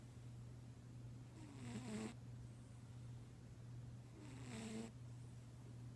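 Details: A domestic cat snores in its sleep. There are two drawn-out, nasal snoring breaths about three seconds apart, each with a falling-then-flat tone. A steady low electrical hum runs underneath.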